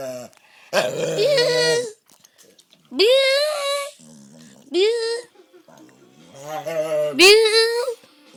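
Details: A dog making weird growling noises indoors: four drawn-out, wavering vocal moans, each rising and bending in pitch like a howling grumble, separated by short pauses.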